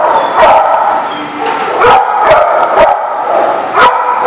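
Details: Barking dogs recorded on December 22, 2018, with punchy individual barks repeating at an uneven pace, about every half second, layered over continuous yapping from a group of dogs.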